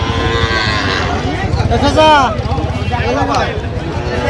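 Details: Sahiwal cattle at a busy livestock market in Manikganj, Bangladesh, on 26 January, where a Sahiwal bull is being sold; one drawn-out moo rises and falls near the middle, under loud overlapping speech and crowd noise.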